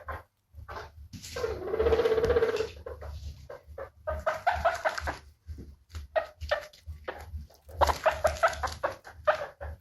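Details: Happy guinea pigs: one drawn-out whistling wheek of about a second, then a string of shorter squeaks and another longer call near the end, with a low background hum throughout.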